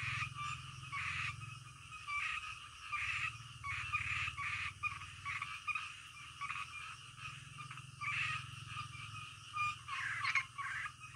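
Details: Frogs croaking at night, harsh grating calls arriving in clustered bursts with short pauses between them, over a low steady hum.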